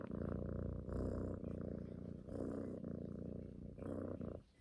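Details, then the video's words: A cuddling female house cat purrs, kneading for affection as she does every morning and night; deep rhythmic rumble alternating inhale and exhale phases roughly every second, fading at the end. "Snoring cat wants mother’s love"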